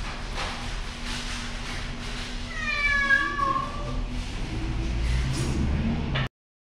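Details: Scared island cat from Hongdo, South Korea, in a makeshift clinic's anaesthesia room during June's free neutering; a single drawn-out, falling wail near the middle, surrounded by room noise and a low hum, ending abruptly.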